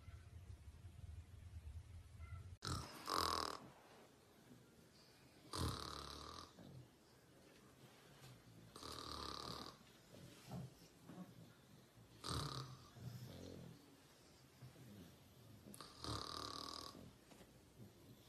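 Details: Pug dog snoring, with rasping, broadband snores that come roughly every three to four seconds and quieter breathing in between.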